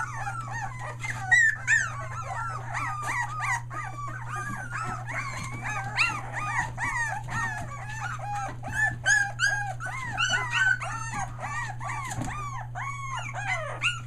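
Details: Chorus of Australian Shepherd puppies almost three weeks old, near Mooresville NC, merle pups included, crying in dense arched whines and squeals nearly three a second, with a low steady hum behind.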